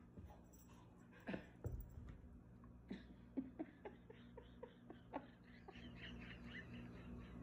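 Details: Sarge, a Blue Heeler indoors, talks back in an evening tantrum before feeding, throwing toys; a few sharp thumps early, then a run of short, whiny, grumbling vocal bursts about every half second, rising in pitch toward the end.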